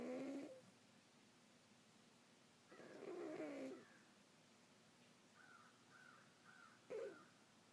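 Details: Sleeping cat named Sophie snoring: slow breathy snores with a wavering tonal edge, each lasting about a second, spaced several seconds apart over a steady background hiss, with faint soft whistly sounds between.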